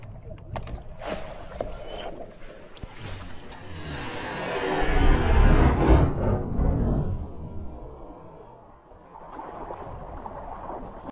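An orca surfaces close by and exhales, a loud rushing whoosh from its blowhole over lapping water.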